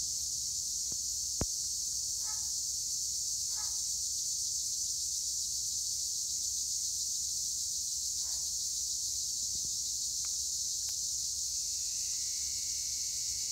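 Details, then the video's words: Tree cricket, given as Acheta assimilis, calling among olive trees at Edremit, Türkiye: a continuous, steady, shrill high-pitched drone without breaks, with a few faint soft bird notes and light ticks underneath. "Tree cricket noise in Olive trees"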